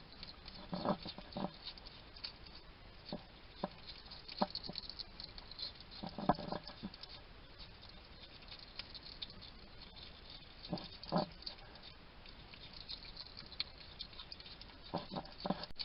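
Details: Wild hedgehog at a garden feeding station in Somerset, UK, chatting to itself while it eats: soft irregular smacking, chewing clicks and snuffling bursts, some in quick clusters, over a quiet steady background hiss.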